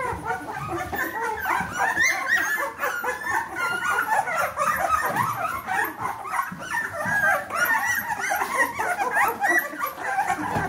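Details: Bernese Mountain Dog puppies at fourteen days old, a whole litter together indoors; continuous overlapping high squeals, whines and yips from several pups, busy and restless throughout.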